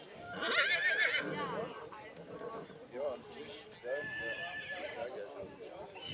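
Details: Black Forest draught horse filly born March 2022, shown at a foal show in St. Märgen, Germany, on 11 August 2022: a loud quavering whinny in the first seconds, then people talking, hoof clops and faint music.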